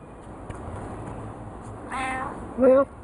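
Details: Pet cat chattering back and forth with its owner indoors: two short meows near the end, the second louder with a rising-then-falling tone, after a stretch of quiet room noise.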